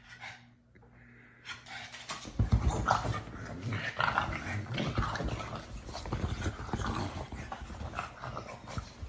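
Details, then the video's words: Pug making a run of rough, noisy snorts and grunts. A quiet two seconds open, then dense, rapid puffs and throaty rasps follow almost without pause. "Funny Pug Noises"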